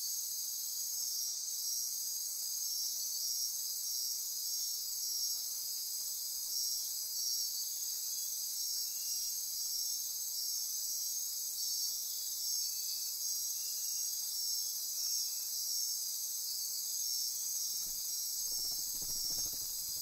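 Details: Midnight insects of the Osa Peninsula rainforest, Costa Rica, near Corcovado National Park, forming a constant high-pitched buzzing and trilling wall of sound, with a brief low rustle near the end.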